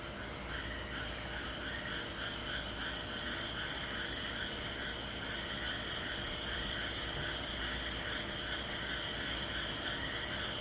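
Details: Frog chorus at Aso, a dense, continuous mass of rapid overlapping trills in two bright bands, pulsing steadily without pause, with a low rumbling background hum.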